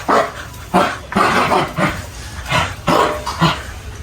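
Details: Kerala American Pit Bull Terrier barking in a rapid series of deep, rough woofs, roughly five bursts within four seconds, with some low growling between them.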